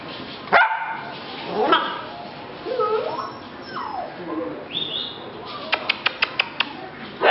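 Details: Rescue puppies from a litter, recorded July 8, 2016: high whining yelps sliding up and down, then a quick run of five or six short sharp yips near the end, with a person talking in the background.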